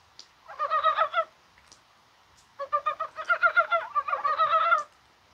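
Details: Mountain brown frogs croaking in rain on a mild January 21: two bursts of fast, evenly repeated guttural clucks, the first under a second long and the second a longer chattering run of roughly fifteen pulses.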